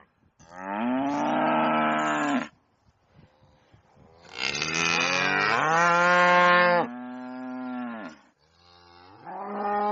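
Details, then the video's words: Loud cow moos on a farm, four drawn-out harmonic bellows separated by short quiet gaps, the second one strained and rough at its start. "VACA MUGINDO - SOM DE VACA MUGINDO - VACA BERRANDO ALTO"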